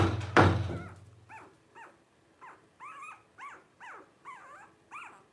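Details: Twelve-day-old blenheim Cavalier King Charles Spaniel puppies from a litter of five, born New Year's 2023 to Paris and Spike. A loud thump opens, then about eight short, arched, high squeals follow at roughly half-second gaps.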